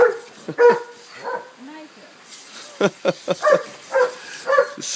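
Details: A playful dog chasing a garden sprinkler outdoors on a 76-degree day gives short, sharp barks: a few scattered yaps early, then a quick run of clustered barks from midway to the end, with a person talking nearby.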